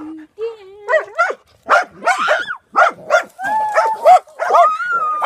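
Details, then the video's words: Dogs reacting to a drone with a mix of sharp barks and rising, tonal whines and yelps over roughly five seconds. "Dogs barking at drone"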